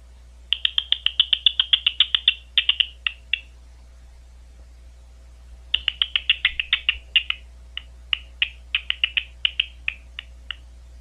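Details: Big brown bat at Ohio State University giving rapid trains of short descending chirps, two bursts of tightly packed clicks separated by a brief pause, with a constant low electrical hum beneath.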